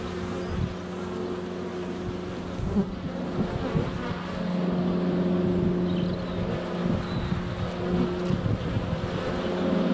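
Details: Honey bees swarming in flight at a hive entrance on a sunny February day, filmed up close with a GoPro Hero 7 Black; steady low droning hum with a constant tonal whine, swelling louder after four seconds.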